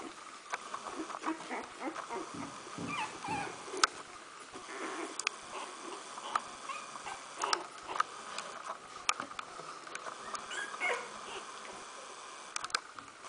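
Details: Smooth Fox Terrier puppies, 14 days old, making faint squeaky whimpers and high thin cries scattered through the recording, with rustling and clicking handling noises throughout.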